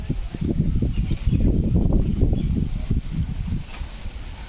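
A rabbit munches on watermelon, making rapid, soft, low crunching and squelching sounds several times a second. The chewing comes in uneven bursts and then eases off toward the end.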